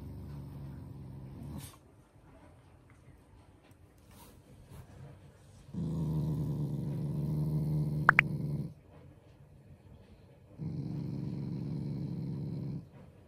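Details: Shiba Inu, a family pet, growling playfully and affectionately rather than in anger: two long low rumbling growls of about three seconds each, separated by quiet pauses, with a brief sharp click in the middle.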